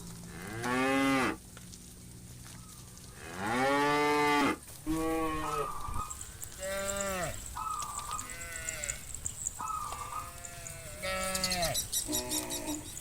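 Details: Hundreds of tame cows gathering on a wide pasture at dusk before returning to the pen; two loud deep moos open, then a chorus of shorter, higher bawls from many animals overlapping, with a faint ringing hiss throughout.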